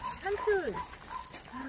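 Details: Dogs at the Mindeulle Shelter, an abandoned-dog shelter in Yangsan, South Korea, during play: a run of short, tonal whines that bend up and then down, several packed into under two seconds, with people talking nearby.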